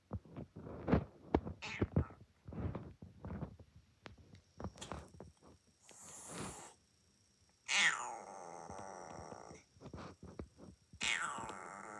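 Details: Rescued kitten, taken in on the night of M-1, with a hoarse voice: rough, harmonic meows that drop sharply in pitch and then hold. Scattered short thumps and voice-like sounds come earlier, and a steady high whine persists in the background.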